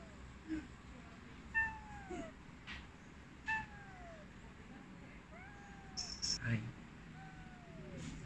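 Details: A Maine Coon cat chirps and trills softly at its owner, short bright chirps that slide downward, repeated every couple of seconds.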